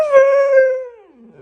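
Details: Siberian Husky howling in protest at being told he must go on a diet; a single loud, smooth tonal howl with strong harmonics, held steady then sliding downward and fading over about a second and a half.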